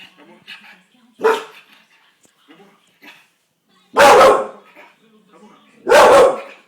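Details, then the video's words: Bull Terrier dog in a fit, barking loudly: a weak bark near 1.3 seconds, then two powerful harsh barks about two seconds apart, with faint voices and low background murmur between. "chien qui aboie !!"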